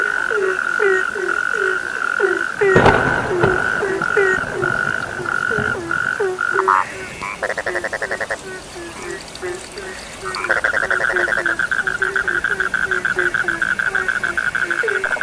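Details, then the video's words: Chorus of frogs with a stream of low, falling croaks, broken by a sharp knock near the start and by fast, rattling pulse trains in the middle and later part, all over a constant high buzzing drone. "The sound of frogs lulls sleep, 30 minutes you fall asleep soundly.( Suara katak Penghantar Tidur )"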